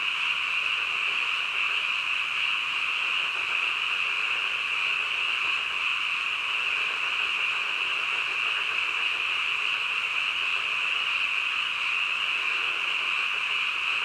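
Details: Night-time frogs croaking together, their voices fused into an even, high buzzing drone that holds steady from start to finish, with no other sounds.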